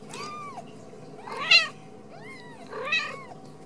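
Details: Ragdoll kittens raised in a home cattery in central Kansas, no cages used; four short arched high meows, each with rich harmonics, spaced about a second and a half apart, over a soft indoor hum.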